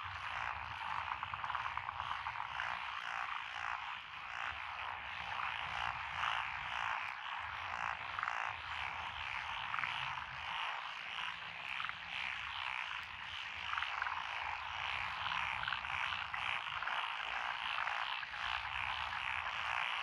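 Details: Massed frog voices from lotus rice paddies on a rural road in Echizen, Fukui Prefecture, 12 June 2021; unbroken pulsing croaks overlap for the full stretch, with faint low rumble beneath.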